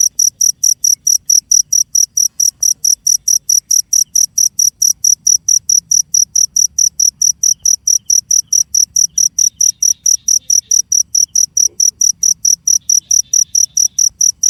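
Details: Continuous shrill chirping from a cricket, evenly spaced high pulses at roughly four per second throughout, quiet background.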